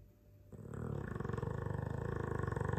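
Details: Deep, fluttering snore from a sleeping Dogue de Bordeaux mastiff, starting quietly and building into a loud, rhythmic rattle that continues to the end.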